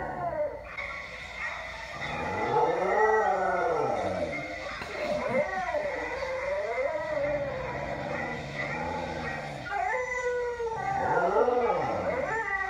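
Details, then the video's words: Pet dog howling indoors at a playback of a recording of himself howling at another dog: long arching, wavering howls with rich harmonics overlapping the replayed howls, continuing throughout. "Dog howls at himself on video howling at another dog on video"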